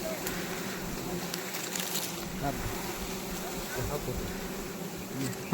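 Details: Honey bees at a wild honey harvest, a steady low droning hum of many bees with harmonic bands, under clicks and handling noise, and a man's voice briefly audible.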